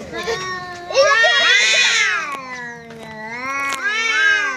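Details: Two domestic cats squaring off as a visiting cat arrives at home: long harmonic-rich yowls rising and falling, one voice climbing into a loud wavering wail while a lower drawn-out moan holds underneath.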